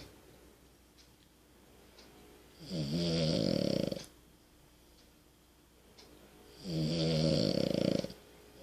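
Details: Amelie, a French Bulldog, snoring: two loud, rasping, buzzy snores about four seconds apart, each lasting over a second, separated by quiet breathing indoors.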